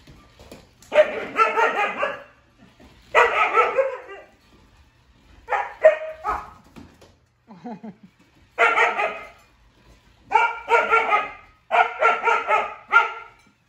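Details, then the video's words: Siberian huskies Juno and Echo bark at Dash, a toy robot, mixing fun and fear; repeated clusters of harmonic woo-woo barks alternate with pauses, plus one faint low whimper in the middle. "Dogs vs Dash the Robot"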